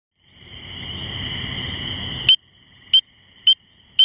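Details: A spring peeper (Pseudacris crucifer) calls from a shrub about two feet up on a misty evening around 9:45 pm, May 11, 2015, after rain, giving sharp, high, upslurred peeps about every half second after a steady high ringing tone.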